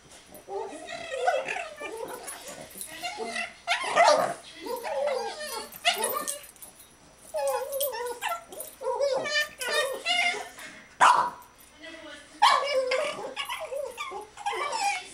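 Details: Two Boston Terriers reacting to a "monster under the bed": one makes bursts of grumbling, whiny vocal sounds, with a person talking in between.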